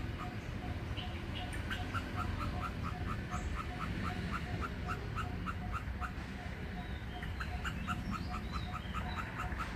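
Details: Indochinese ground squirrel calling at its nest, a steady run of short, sharp chipping notes repeated about three times a second, over a constant low rhythmic ticking and a dull background rumble.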